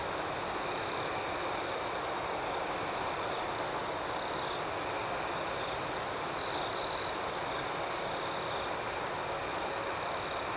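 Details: Crickets chirping at night: a steady high-pitched trill runs throughout, with a second pulsing layer beating several times a second above it and two brief louder buzzes near the middle.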